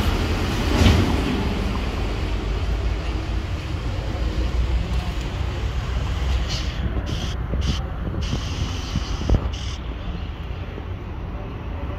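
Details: Continuous low rumble of passing vehicles, like a street or train, with a few faint clicks; no animal calls can be picked out.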